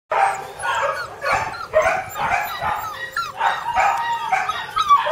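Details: Border Collie puppies, sibling littermates, giving overlapping high yips and whiny squeals in quick irregular bursts, several voices at once with little pause between calls.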